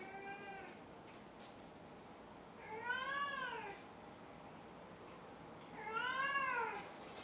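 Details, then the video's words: Indoors, the cat Maru repeats long, bowed meows about every three seconds: a trailing call, then two clear, loud, rich-toned mews, with a brief tap between them. "鳴くねこ５。 Meow Meow Maru 5"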